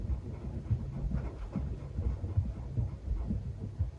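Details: Fuku, a male Netherland Dwarf rabbit born May 2019 and living in an old rural house in Japan, grunts "bu bu" with joy while playing with his owner: soft, low thumps repeated about twice a second.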